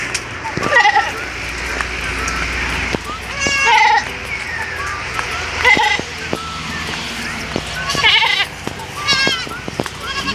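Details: Anglo-Nubian goats grazing fresh green grass beside a highway in the Philippines during the hot season give several short, quavering bleats over steady traffic noise, while a man speaks Filipino nearby.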